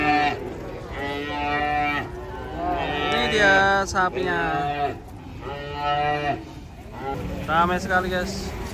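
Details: Several cattle getting off a truck moo repeatedly, each low bellow lasting about a second with strong harmonics, separated by short gaps, amid faint background noise and a few voices.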